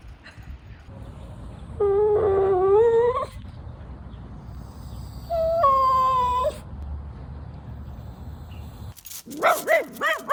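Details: Tricolour Cavalier King Charles Spaniel Louis Philipp, a family pet in Munich, Germany, lets out two drawn-out, wavering whines, each about a second long and rising slightly in pitch, then a brief burst of higher yelps at the end over a low hum.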